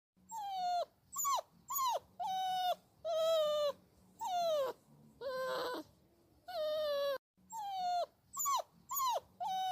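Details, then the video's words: Puppies whining and crying: a run of high, thin whimpers, each a steady or gently falling tone ending in a sharp downward drop, repeated roughly once a second with short pauses and a faint low hum behind. "Puppy Whining Sounds"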